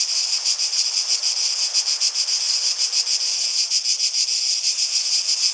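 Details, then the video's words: Cicadas in a dense chorus: a steady, shrill high buzz throbbing in rapid, slightly uneven pulses, with no other clear sounds. "Relaxing Sounds of Cicadas"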